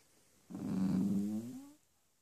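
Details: Grumpy four-month-old Cavalier King Charles Spaniel puppy Bentley, bad-tempered because he wants bedtime on his human, lets out a single low, steady, moaning growl with a slight upward bend at the end, about one second long, in a quiet room.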